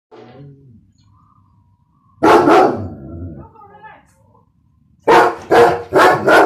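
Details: An 11-month-old German Shepherd and Kangal mix barks: one deep, loud bark followed by a short pause, then three quick heavy barks in a row. A quiet voice is heard near the start.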